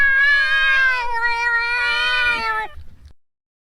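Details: A pet cat, possibly named John Cena, gives two long drawn-out meows, clear, tonal and slightly wavering, in a funny cat compilation. The meows fade out near the end, followed by brief low rustling and then silence.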